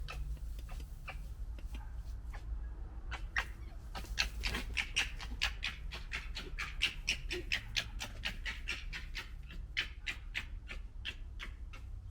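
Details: Gekkering from red foxes of the 2021 litter during fighting: fast, harsh, rattling clicks and chatters repeated about four times a second for twelve seconds, over a low rumble.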